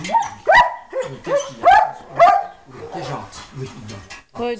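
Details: German Shepherd at the shelter in Péruwelz, found on 30 July 2011: a run of loud, rising barks about every half second, then softer barks and voices.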